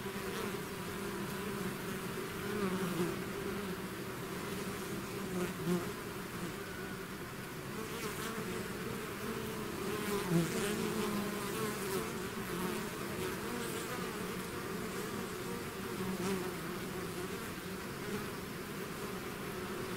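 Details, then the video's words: Honeybee swarm buzzing as it leaves its hive: a dense, steady drone with layered hums around two bands, individual bees passing close now and then, continuous for twenty seconds. "bees therapy swarm natural buzzing sound"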